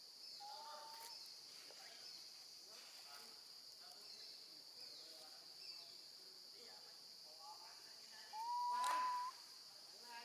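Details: Baby female monkey, left alone with her grandmother, cries for her mother: one clear rising, drawn-out whistled wail near the end, after faint murmuring sounds, with a continuous high-pitched insect drone in the background.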